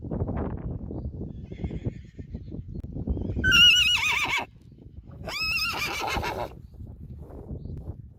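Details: A Friesian horse foal named Lianne, waking from a deep sleep and calling for her mother and friends in the herd, recorded June 24, 2019: two loud wavering whinnies a second apart, over steady low rustling background noise.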